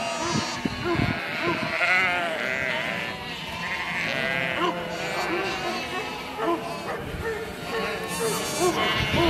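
A flock of sheep bleats continuously, with many wavering, nasal baas overlapping one another.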